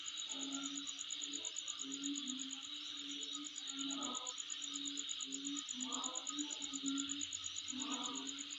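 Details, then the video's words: Continuous insect chorus recorded at home, a dense high-pitched buzzing drone over a very fast, even, ticking trill, with a low wavering tone and a few faint clicks underneath. "Sound Of Insect In My Place"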